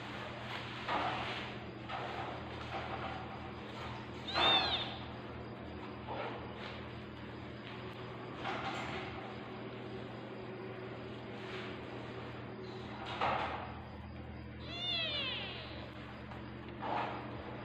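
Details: Tabby cat in labour, giving birth to kittens indoors. Two short, high, arching mews stand out near the start and again near the end, with faint rustling and shifting in between over a steady low household hum.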